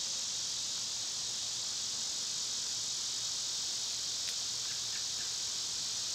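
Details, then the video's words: A constant high, hissing cicada chorus on a summer day, even and unbroken, with a brief faint chirp near the end. "Cicada sounds"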